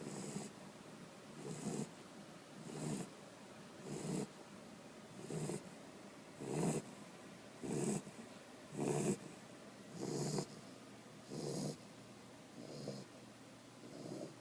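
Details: Tricolor Corgi asleep and snoring steadily: rasping, low snorts repeated about every 1.2 seconds in an even rhythm, each a short noisy burst, with little else heard.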